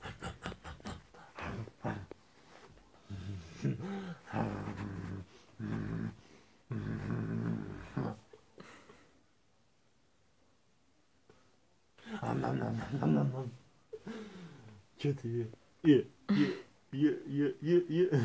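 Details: A female pet raccoon in Adygea, Russia, on 3 December 2018 gives low, gravelly growls in uneven bursts while playing a growling game with a man. Louder huffs and chattering grunts follow.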